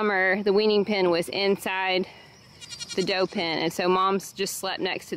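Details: Weaning-day goat kids crying out on a small farm: strong, vibrato-laden bleats in bursts. A brief quiet gap comes partway through, then more quavering screams, with voices mixed in.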